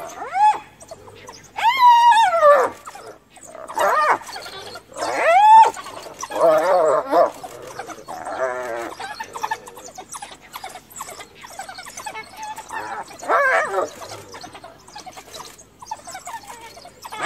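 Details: A hyena mother, guarding her recently dead cub in Kruger, is cornered by African wild dogs and calls for clan backup. Loud rising, squealing whoops come near two and five seconds, amid busy chattering twitters and yelps from the dogs.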